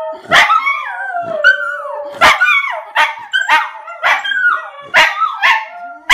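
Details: Miniature Schnauzer reacting to howling heard on Facebook with a rapid series of short yelping howls, roughly one per second, each a harsh bark-like onset followed by a brief wavering, falling tone.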